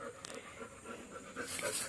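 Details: Labrador named Golden, a pet dog in the village of Kalsuli, panting softly after work: quiet, rapid breathy pulses repeating steadily, with low-level background hiss and faint noise near the end.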